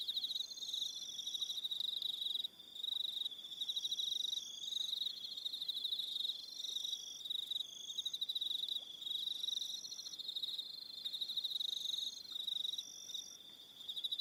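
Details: A long stretch of evening cricket song from Aroha Island, New Zealand. Unbroken high, buzzy, pulsing trills come from several insects, with intermittent higher phrases and a short lull near the start.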